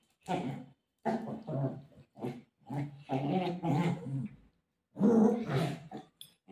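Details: Golden retriever dog, described as desperate to search for its mom while playing with her, giving low, growly, drawn-out moaning vocalizations in a run of bursts of about half a second, with short silent gaps between them.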